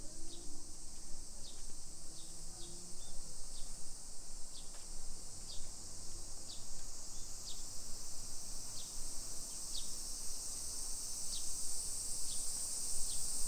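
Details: Cicadas in summer, Nisshin, Aichi Prefecture, Japan, recorded while walking residential streets at 1 PM on 28 July 2021; unbroken shrill hiss overhead, punctuated by sharp repeated ticks roughly every half second, with low traffic hum underneath.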